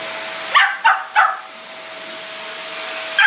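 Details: Shetland Sheepdog indoors barking at a running vacuum cleaner it hates: three sharp, high barks in quick succession, about a third of a second apart, over a steady mechanical hum from the vacuum.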